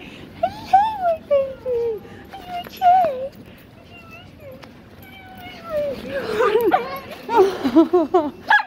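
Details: Pablo, an Alaskan Klee Kai or mini husky, welcomes his owner at London Luton airport. He gives sliding, wavering whines and short bent yelps that grow denser and more excited toward the end, mixed with people's voices.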